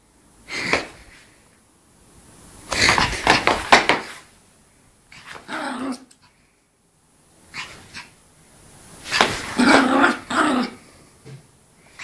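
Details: A Yorkshire Terrier playing and frolicking yaps and growls in excited bursts, with sharp high barks and rough snarls.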